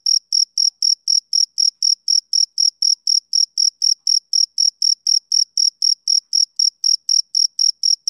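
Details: Steady, high-pitched chirping of a male cricket, pulses repeating about four times a second for eight seconds at even volume, each topped by a softer higher overtone, with no background noise.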